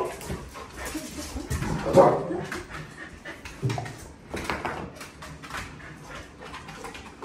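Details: Excited dogs near a whelping box whimper and pant, with a loud sharp cry around two seconds and scattered softer whines after it, plus faint room noise.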